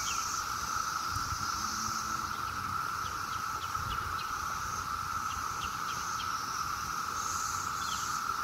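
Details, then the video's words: Seventeen-year cicadas calling in huge numbers during a summer day in Maryland, making a constant, even, ringing drone that never breaks, with a thin high shimmer above it, distant traffic hum and faint scattered chirps. "The 𝗿𝗮𝗿𝗲 sound of 17-YEAR CICADAS!!"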